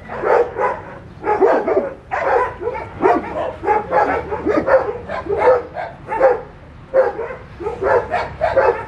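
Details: Puppies with an adult dog yapping together, a dense run of short, high yips and barks in clusters of about one per second, pitch wavering, almost without gaps.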